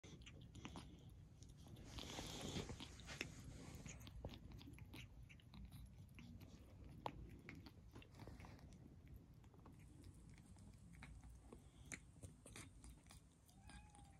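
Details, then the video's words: Tiny rescue kitten Elvira (EV), who still has respiratory and eye problems, eating kitten kibble on her own for the first time that day: faint, rapid crunchy chewing clicks several times a second, over a quiet room hum. "Tiny Rescue kitten EV (Elvira) eating on her own!"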